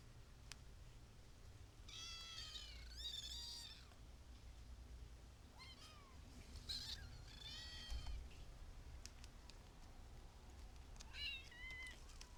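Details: Several kittens call in scattered, uneven meows, some short and bent, others longer and falling at the end, a few seconds apart, with a soft low hum underneath.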